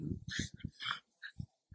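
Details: Playful Dachshund, a miniature sausage dog, gives a short run of low, throaty pulses, then a brief higher whine and two soft grunts within under two seconds, recorded indoors.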